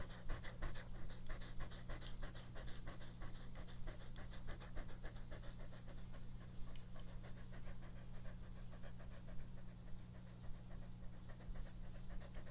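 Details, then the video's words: Pet dog Epo-chan in a first close-up ASMR recording: steady rapid panting, quick rhythmic breaths repeated throughout with soft wet mouth sounds, over a constant low indoor hum. "ASMR🐕 breath/Mastication sound/drink"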